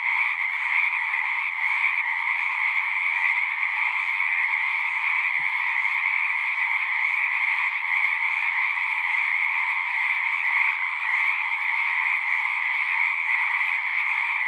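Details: Frogs singing in full chorus at a horse-pasture pond, recorded with a Zoom 6: an unbroken blanket of high and mid trills holding the same level throughout, broken only by one faint click about a third of the way in.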